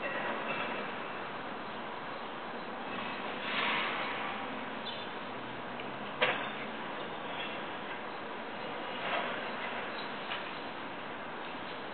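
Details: Steady broadband rushing noise with a few faint thumps and clicks, and no animal calls.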